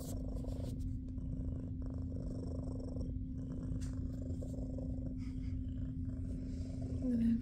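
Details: Jiji, a big fluffy female shelter cat at SBACC, purring while enjoying belly rubs indoors; a steady, deep, rumbling purr runs unbroken through the whole stretch with a constant low hum underneath and a brief faint vocal sound at the very end.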